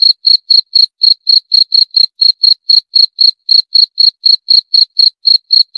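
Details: A cricket chirps continuously in sharp, high, ringing pulses, roughly four each second, with small irregular gaps; nothing else audible.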